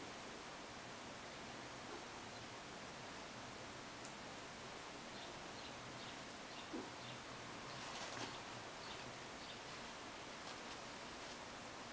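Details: A soft, even hiss with a few faint rustles, and no animal call can be made out.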